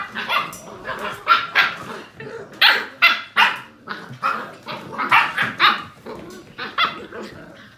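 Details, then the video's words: Playing Portuguese Water Dog puppies, seven weeks old, yapping in sharp high barks roughly every half second to second, some with whiny tonal edges, several pups overlapping. "7 week old Portuguese Water Dog puppies playing"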